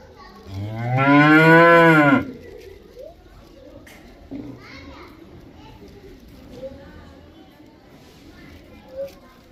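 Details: Cow giving a single loud moo of about one second that bends gently down at the close, followed by several seconds of quiet background with faint distant sounds and soft clicks.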